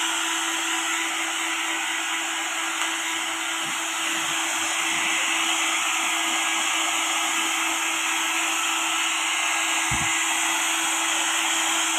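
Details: A loud, constant hair dryer blows throughout, with a brief low thump near the end.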